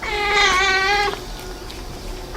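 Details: Plump-bellied stray cat being picked up and offered food, giving one loud, long, clear meow of about a second, rich in harmonics and steady in pitch. A quieter trailing sound and faint room noise follow.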